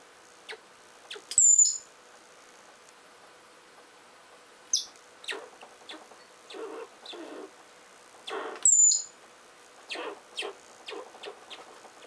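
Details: Richardson's ground squirrels fighting while digging: two sharp, very high whistled chirps that drop quickly in pitch, about seven seconds apart, between bursts of scraping and rustling from digging.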